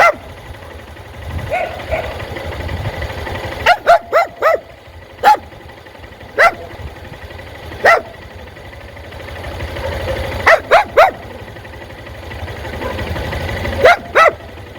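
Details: Dog barking at motorcycles; loud engine rumble rises and fades, then short sharp barks in bursts of two to four, with quiet gaps between.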